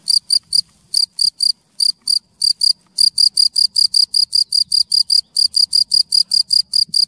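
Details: Male cricket calling near its burrow hole in woodland near Munich, Germany, trying to attract a female; rapid high pure chirps in groups of two to four, then a steady run of evenly spaced pulses about five per second, no other sounds.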